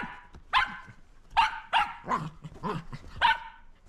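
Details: Shetland Sheepdog barking while playing with a lint roller: four sharp, bright barks spaced irregularly over a few seconds, with softer huffs and human voices between them.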